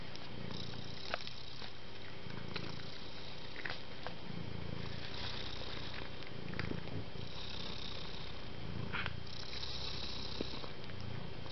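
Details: Soft, kind domestic cat purring steadily, a low rumbling drone that swells and fades in regular pulses roughly every one and a half seconds, with faint scattered clicks and a thin steady hum above.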